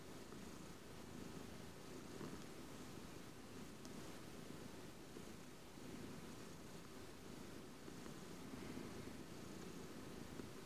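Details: Close-up recording of a domestic cat purring: a steady, low rumbling hum held throughout with soft rhythmic pulsing and faint rustling, quiet overall.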